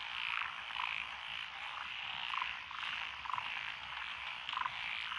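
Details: Night frog chorus in lotus paddy fields at Echizen, Fukui, Japan, June 2021; a thick wall of overlapping croaking and trilling, with scattered lower clucking notes rising above the steady chorus.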